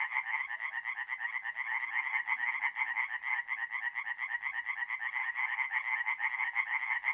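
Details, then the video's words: Chorus of tree frogs singing at night at a forest pond in mid-April, north-east Italy: dense overlapping rapid croaking pulses, bright and rasping, forming a continuous pulsing wall of sound with no other noises. "relaxing forest pond by night with singing tree frogs"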